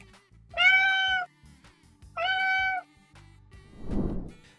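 A domestic cat gives two clear, harmonic meows, each about half a second, then a soft breathy sound.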